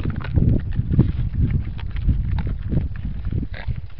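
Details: Wild boars feeding at a boar-only feeder with a side trapdoor; deep, short grunts repeated roughly every half second over steady low rumbling and scraping noise.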